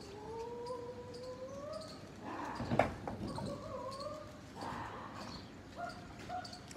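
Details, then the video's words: Gray tabby cat and ginger cat fighting: long, wavering, tonal yowls that slowly rise in pitch, broken by a harsh noisy burst midway, then further drawn-out moaning yowls and a sharp click at the end. "Gray tabby cat VS GINGER CAT FIGHTING VERY dangerous"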